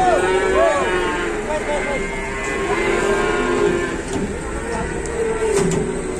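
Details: Giant cattle being unloaded in Indonesia, standing stiff like a statue and refusing to move; drawn-out harmonic lowing rises and bends over a dense hubbub of human voices and engine rumble.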